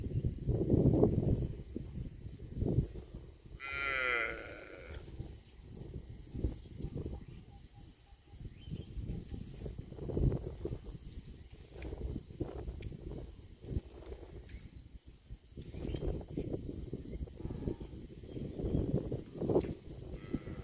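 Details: Cattle mooing with low, drawn-out calls, plus one higher, harmonic-rich rising call at about four seconds and faint high tones in the background.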